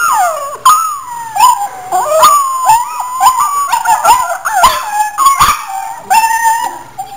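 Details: Pet dog howling and crying in reply to another dog's whines at home, a loud chain reaction of wavering, sliding howls with yips and whimpers, rising and falling in pitch, several overlapping voices, recorded on a camera.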